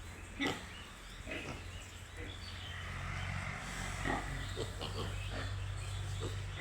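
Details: A few scattered grunts from baby pigs, spaced a second or more apart, over a steady low mechanical hum.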